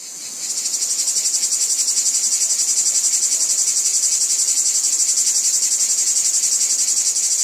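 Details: Cicadas calling in a wheat field: a dense, high, hissing buzz that pulses about four times a second. It swells in over the first half second, then holds steady and loud. No other sounds stand out.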